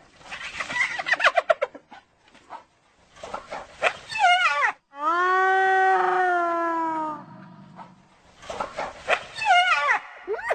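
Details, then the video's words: Hyenas alternating rapid chattering giggles of short arched notes with one long sustained harmonic moan in the middle, then more quick giggling bursts toward the end. "Hyena Sounds"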